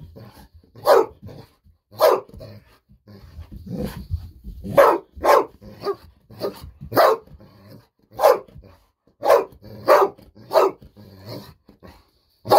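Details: Excited Golden Retriever indoors demanding a fish-sausage treat, part of nearly ten minutes of continuous barking; about a dozen loud, clipped barks spaced roughly one second apart, with a brief low rumble and rustle in the middle.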